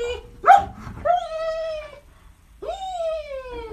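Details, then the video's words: German Shepherd named Tyson, a pet dog, giving long, drawn-out whining howls that rise then slowly fall, two main cries with a short break, after a man orders it in Russian to lie down. "Funny German Shepherd Dog"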